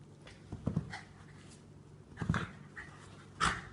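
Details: Pet dog, a rescue living with cancer, spinning while sneezing: three short, explosive nasal bursts about a second or more apart over low room hum.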